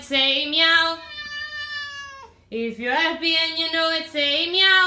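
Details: Domestic cats in a compilation of talking cats, giving drawn-out harmonic meows: a rising call, a long level tone that falls away, then a run of short wavering meows with a bending pitch.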